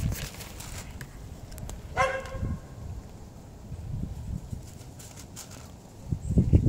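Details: Homeless tabby street cat asking for food outdoors gives one short, clear meow about two seconds in, amid low rumbling and handling noise with scattered clicks.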